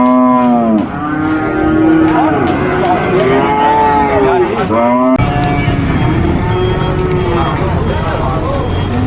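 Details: Cattle mooing loudly in long harmonic calls with rising and falling pitch, several overlapping moos in the first five seconds, then a sharp change to a busier mix with background noise and faint voices.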